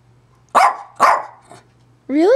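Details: Pet dog Zoey gives two sharp barks half a second apart, then a faint third, followed by a rising whine-like vocal sweep; a low steady hum runs beneath.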